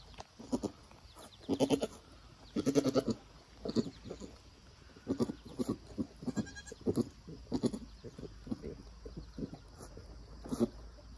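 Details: Nigerian Dwarf goat doe giving birth to a doeling kid, which later stands and nurses; short, soft, pulsed low bleats and grunts repeated in quick bursts every half second or so, with a faint steady background hum.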